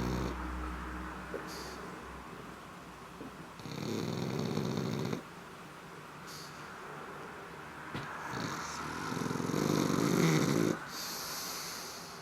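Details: Black pug asleep and snoring; two drawn-out, grating snore inhalations, the second longer and louder at over two seconds, with hissing breath noise and soft sniffs in the pauses.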